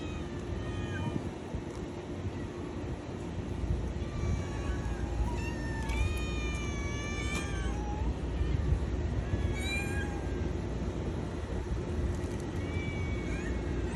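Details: Kitten giving a run of thin, high meows, several in quick succession around the middle, some rising then falling in pitch, with short gaps between. A steady low hum runs underneath throughout.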